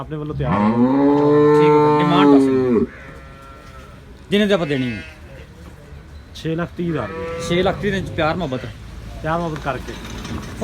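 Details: Farm cattle in Pakistan, at a Girlendo cow farm with animals for sale: one full-throated, sustained moo of about two and a half seconds opens, followed by a man talking about the animals.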